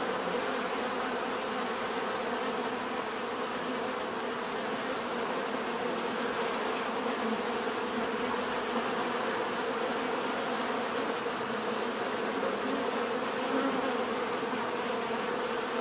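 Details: Bees buzzing in a steady, dense drone, many overlapping wingbeat hums forming a continuous mid-pitched murmur with a faint thin high tone running throughout; no other animals or voices.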